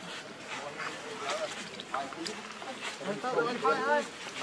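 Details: Baby monkey Leo, hungry and begging his mother for milk, gives short wavering, warbling cries that rise and fall toward the end, over a background of soft rustling and murmuring noise.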